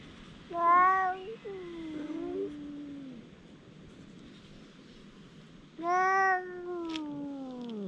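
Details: Two stray cats in a verbal quarrel: a short meow followed by a long descending moan, a pause, then another loud meow sliding down into a drawn-out wail, over faint background hiss.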